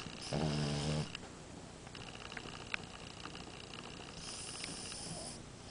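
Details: Amora the French Bulldog gives a single loud, low, rattling snore lasting under a second. A soft hiss and quiet room noise follow.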